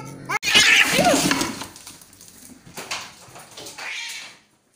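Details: Aggressive cats fighting: a sudden harsh, screeching burst mixed with hissing, then fading raspy growls and a final drawn-out moan before silence.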